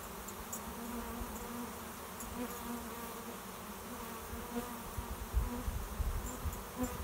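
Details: Cloud of swarming honey bees landing at a trap behind a garage to take up a new home, beginning to calm; a low, rumbling hum swells toward the end as bees fly close, with scattered buzzing passes.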